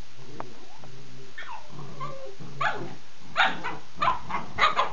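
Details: Two Husky puppies playing together indoors, recorded 2007-07-15: soft whines and murmured voices first, then a quick series of short, sharp yipping barks in bursts about every half second toward the end.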